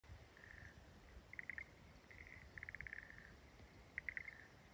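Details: Frogs calling from a rice paddy in Kamiōno, Daigo, Ibaraki Prefecture, Japan. Rapid, rattling pulsed trills at a fairly high pitch come in short bursts about every second, over soft background noise.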